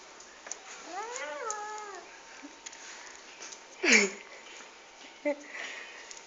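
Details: Indoor domestic cat at morning breakfast time making one wavering, arched meow with rich harmonics, followed by a brief sharp noise and faint household sounds.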